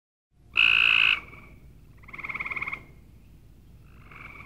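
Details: Cope's gray treefrog giving three high, buzzy pulsed trills: a loud, steady first burst, a second with clearly beating pulses, then a faint third, each under a second long, with quiet gaps between.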